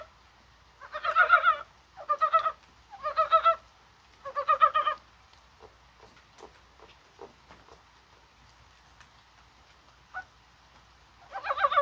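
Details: Rainy January 21, mild as spring, with Korean brown frogs calling: four quick clucking croak bursts in a row, then a lull of faint ticks and patter, and one last croak burst at the end.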